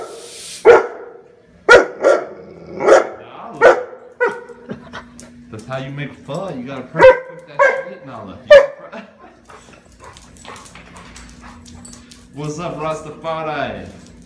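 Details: Rescue German Shepherd Kelpie mix dog barking at a pressure cooker during broth making: a run of loud single barks roughly every second, then softer yips and grumbling under a constant hum, with a man talking.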